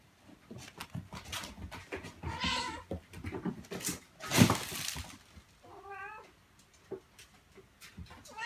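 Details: A mother cat calls her kittens in a room, wanting to lead them outdoors and telling them not to leave her. Two clear, wavering meows, one early and one late, sit among clattering, rustling household noise and a sharp knock.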